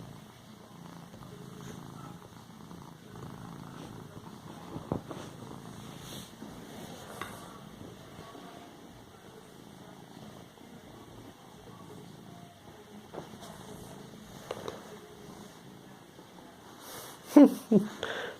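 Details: Domestic cat purring softly and steadily while padding and kneading a pillow with its paws. The low rumble runs throughout, with light rustling from the cushion. A sharp, loud sneeze bursts out near the end.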